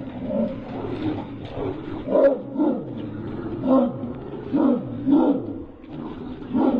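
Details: Low, rough growls and roar-like snarls from a pit bull and a Dogo Argentino fighting, rising and falling in irregular pulses roughly once or twice a second, with a steady murky background.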